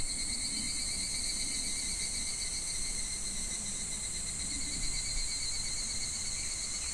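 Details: Midsummer cicada chorus at a shallow, gently flowing clear stream in July: continuous shrill buzzing holds at an even level throughout, with soft water rumble underneath.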